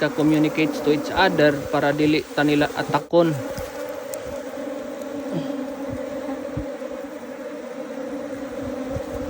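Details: Rescued Asian honey bee colony from a canal, clustered in a box around the queen: a man talks for the first few seconds, then an even, unbroken low hum of the bees fills the rest.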